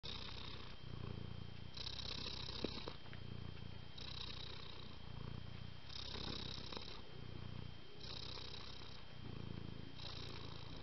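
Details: Domestic cat purring steadily: a low, rough rumble pulsing in long cycles, each swell lasting about a second and recurring every two seconds, with a faint steady whine in the background.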